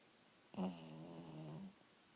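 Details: A sleeping dog snoring indoors: a single soft, harmonic snore lasting about a second, with a slight rise and fall in tone, in a quiet room.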